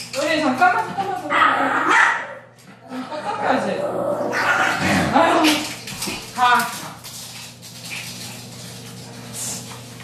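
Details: Yorkshire Terrier, described as a little thug, just after a bath it hated, giving sharp repeated yips and barks indoors, mixed with human speech and background music.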